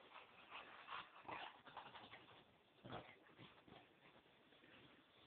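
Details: Chow Chow rolling around on the yoga room floor indoors: soft, short whimpering sounds mixed with scuffling and rustling as the dog rubs against the floor and pillows.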